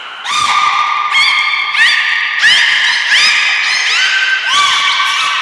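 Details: Belugas Hodoi, Taanya and Mirai, captive at Port of Nagoya Public Aquarium, training on November 1, 2020; loud, continuous harmonic whistles with upswept notes and squeaks repeating roughly every second, echoing in the hall.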